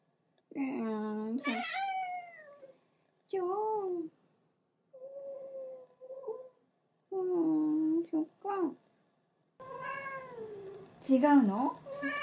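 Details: ['Domestic cat that loves being held, cuddled like a baby against its owner, then wanting to get down and angrily meowing. Loud drawn-out harmonic meows with bending pitch, several in a row separated by short pauses, some rising and wavering, indoors.']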